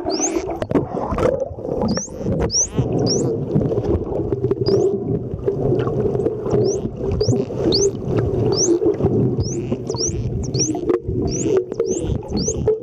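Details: Underwater at Mikurajima, Japan, wild dolphins squeak as bubbles stream from the blowhole, recorded with an Olympus TG-2 camera; brief upward-sweeping whistles come in loose bursts across the stretch, amid gurgling water and low rumble.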